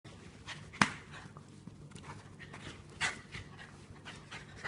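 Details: Rescued pet dog with cancer, once fearful, spinning around in a sneezing fit: two sharp explosive sneezes, a loud one near the start and another about two seconds later, with soft snuffling and breathy panting between them.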